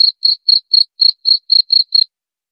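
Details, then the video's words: Cricket sound meant to drive away rats: nine crisp, high-pitched chirps spaced about a quarter second apart, then quiet, with a clean, empty background. "Suara Jangkrik"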